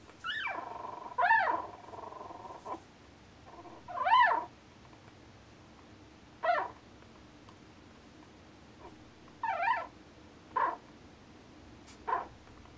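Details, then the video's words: Newborn Norwegian Elkhound puppies dreaming while asleep, letting out high, thin whimpering squeals: arched rising-and-falling whines in scattered short bursts, about seven across thirteen seconds, a few drawn out longer, over a quiet background. "Norwegian Elkhound Newborn Puppies Dreaming"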